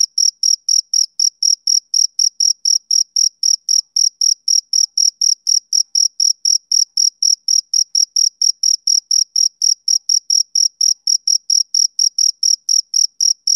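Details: Male cricket giving an unbroken series of shrill, short chirps, about four every second, metronome-like and uniform in loudness. No other sounds accompany it.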